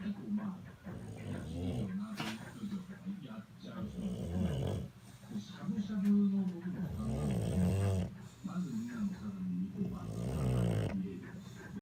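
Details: A bulldog snoring while sleeping comfortably, giving low rough rumbling breaths about every one to two seconds, with louder snorting inhalations around the middle and a constant low hum in the room.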